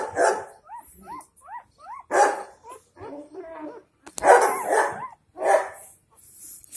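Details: Four-day-old Dogo Argentino puppies in Delhi NCR, India; a quick run of four short squeaky whines, each rising then falling, followed by more whimpers mixed with louder bursts of noise and voices.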